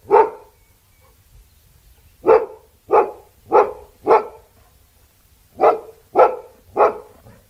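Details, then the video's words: Barking Labrador Retriever: one bark, then a run of four closely spaced barks and another group of three, sharp and loud, with quiet gaps between groups. "LABRADOR LATINDO 🐕 LATIDO DE CACHORRO 🐕 SOM DE CACHORRO🐕 LABRADOR DOG BARKING"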